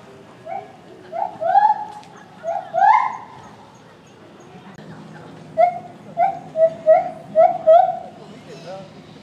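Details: Gibbon calling in an enclosure at Higashiyama Zoo and Botanical Gardens, Japan, September 2023: clear, pure whooping notes that climb in pitch, a pause, then a quickening run of short rising whoops over a low background hum.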